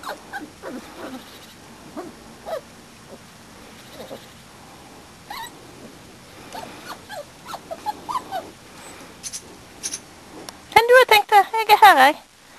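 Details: Springer Spaniel puppies of a litter, four and a half weeks old, outside for the first time in their lives: scattered soft whimpers and short squeaks, then a burst of loud, high, wavering yelps near the end.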